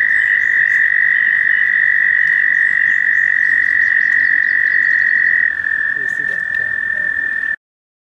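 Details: American toad trilling at a pond near Warbler Bridge in Wehr Nature Center during May mating season; a sustained bright trill, with a second overlapping trill at a slightly different pitch, ending abruptly, faint bird notes above.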